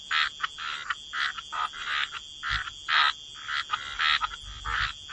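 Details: Frogs croaking by the waterside in a wetland chorus: short raspy bursts overlapping roughly once a second, irregular in spacing, over a faint steady high hiss.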